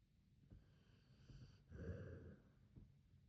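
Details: Sleeping Akita named Hachi snoring, a short low rasping breath swelling to a louder snort in the middle, then fading to soft breathing.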